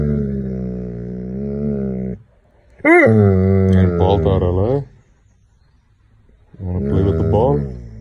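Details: A Doberman, annoyed and wanting to play outside, gives drawn-out whining moans: a steady tone of about two seconds, then a warbling cry that rises and falls, and after a pause another wavering moan.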